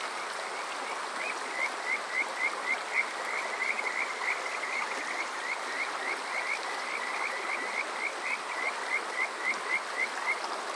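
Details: Summer-night Kajika frog at Yokoze in Saitama's Chichibu District, Japan, captured with a TASCAM DR-05X: a long even series of short, high, upslurred whistled chirps, about four each second, over a constant hiss of flowing water.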